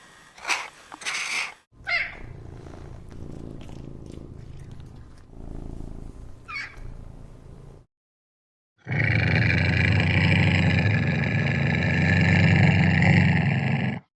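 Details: A rare type of cat: a few scattered sharp sounds and a low rumble give way to a loud, steady, unbroken purring drone that runs for about five seconds.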